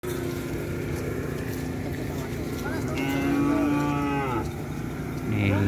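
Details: Cattle at a bull race measurement session, with bulls being measured to set their racing class: a harmonic moo arches from about 3 to 4.5 seconds over a steady droning background, with voices and music.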